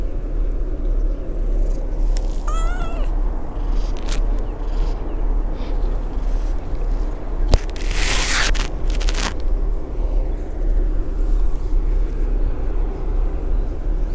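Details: Abandoned tabby kitten in a park with a large pond, somewhat cold-ridden, friendly and seeking affection from people. It gives a single short, wavering meow a few seconds in, over a steady outdoor background hum, followed later by rustling bursts.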